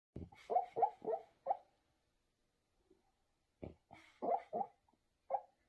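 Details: A sleeping, dreaming blue French Bulldog puppy (female) gives short, muffled, snuffly whimpers and yips in runs of four or five, about two seconds apart; she often makes noises while sleeping.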